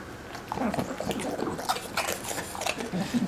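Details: British Bulldog, a male, eating his favourite pork crackles: loud crunchy bursts of chewing at irregular intervals, mixed with low snuffling and wet mouth noises throughout, in a small indoor room.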